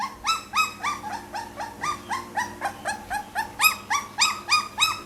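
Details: Young Pit Bull pup crying in quick, evenly spaced whiny yelps, roughly three per second, each note a short rising squeal with ringing harmonics, continuing through the whole stretch.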